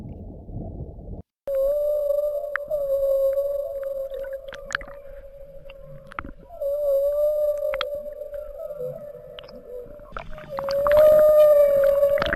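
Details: A whale in Monterey Bay, California, recorded underwater, gives a long, steady tonal moan, held for seconds with slight wavers in pitch.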